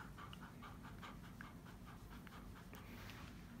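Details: Siberian Husky panting indoors while eagerly tagging along after its owner; fast, even, breathy huffs repeat steadily throughout, quiet against a constant low background hum.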